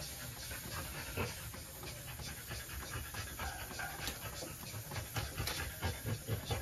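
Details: French Bulldog female panting during trans-cervical insemination, a scope-guided breeding procedure; rapid breathy huffs repeat roughly twice per second, soft and irregular, over a steady low background hum.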